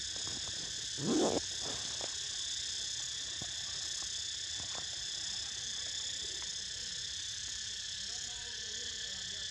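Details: Dense, unwavering cicada buzz in several high layers accompanies Niko's nap, with a short low murmur early on and a few faint clicks against the drone.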